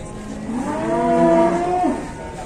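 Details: Cow unloaded from a livestock truck in Indonesia lets out a loud, clear moo that swells, holds at its peak, then falls away over about two seconds, with faint engine rumble beneath.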